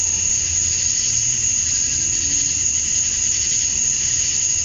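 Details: Summer-night cicada chorus at dusk in Georgia, USA, males calling to attract females; a constant high-pitched ringing hiss with softer mid-pitched buzzing, no pauses, faint low rumble underneath.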